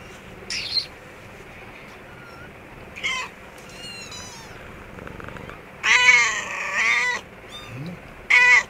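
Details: Mother cat and kittens indoors in an office store room: loud, harsh, high mewing bursts come irregularly, about two dozen per minute, including a longer wavering cry in the middle, between quieter thin squeaks and room noise.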